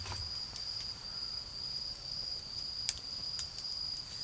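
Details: Autumn insects trill in an even, high, sustained tone beside a garden bonfire, with scattered clicks and one sharp pop from the flames and a soft low background of distant traffic.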